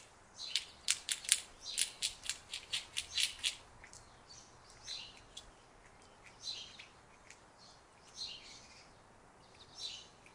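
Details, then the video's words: An Indian squirrel gives a fast run of sharp, high chips, then slower scattered chirps. "squirrel गिलहरी गिलहरी की आवाज"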